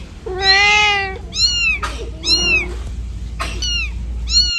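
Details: Domestic cat confused and searching for its kitten in the middle of a road, giving one long, drawn-out meow and then several shorter, higher arched meows in quick succession over a steady low rumble.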